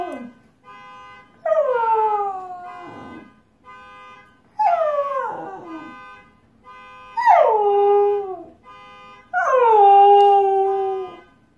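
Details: Husky howling at a car alarm: five howls about every two seconds, each dropping in pitch and trailing off, some ending in rough whimpers, with the alarm's steady electronic tones sounding continuously behind.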